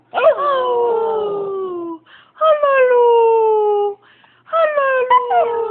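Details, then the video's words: Husky giving three drawn-out howls, each starting with a quick rising yelp then gliding slowly down in a rich, ringing tone for about one and a half seconds, separated by soft breathy gaps. "My husky howling"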